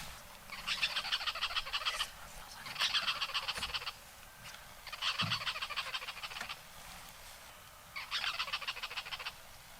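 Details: On a 12 July morning safari in the Masai Mara, a tree squirrel up in a tree gives harsh, rattling alarm bursts, each about a second long, at a young male lion hidden nearby in thick bush.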